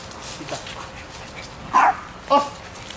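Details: Small dog barking as a distraction while a male Malinois protection dog practises obedience; after a quiet start, two short, sharp, high-pitched barks come about half a second apart near the end over faint background noise.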